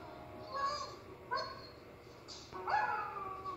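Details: Irish Setter named O' Malley singing along while listening to recordings of his favourite singing dogs; three drawn-out, whining howls with clear harmonics, short pauses between, the last rising sharply then sliding slowly downward.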